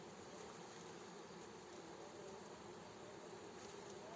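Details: Fresh honey bee swarm being gently guided into its hive by a beekeeper near villages: a dense, steady, unbroken buzzing hum with no clear pauses, heard at low level throughout.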